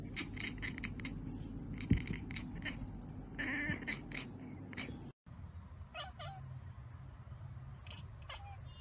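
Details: Domestic cat chattering on spotting a bird or insect it cannot reach: a fast run of short, clicking, bleating bursts through the first four seconds, then after a cut fainter chirps and a brief rising squeak over a steady low hum.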